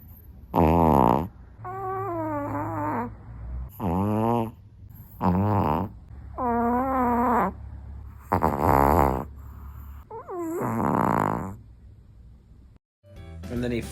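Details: Mickey, an 8 lb dog asleep while his owner watches TV, snores loudly, each rasping, wavering breath repeating every second or two.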